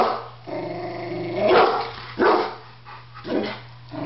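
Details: Pet Rottweiler at home, alarmed by a barbecue grill he seems to think will attack him, while a Doberman watches; a low growly rumble is followed by three sharp barks about a second apart over a steady low hum.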